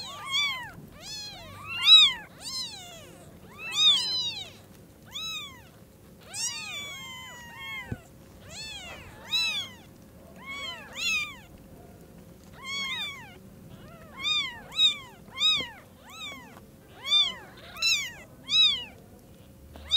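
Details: Kittens with newly opened eyes meeting their mother cat for the first time at Lucky Paws; rapid overlapping high-pitched mewing, several tiny voices crying in bursts, some calls bending downward, faint hum beneath.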